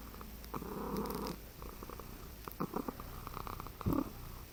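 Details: Relaxed, drooling house cat resting on its owner's chest gives a purring, trilling rumble for about a second, then softer broken purr pulses with faint clicks and rustles in a quiet indoor room.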